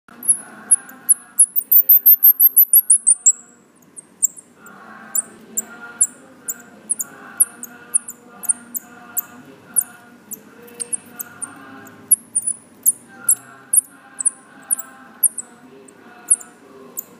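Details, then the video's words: Baby Himalayan striped squirrels found fallen outside a house in Lampang, Thailand, give very high, thin squeaks, about one each second, at feeding time over a low steady hum. "Baby squirrels making noise"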